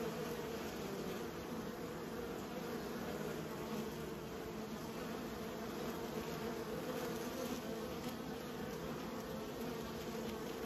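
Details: Raised bees drone in a continuous, full-bodied hum that stays level in pitch and volume for over ten seconds, with a faint steady high whine throughout.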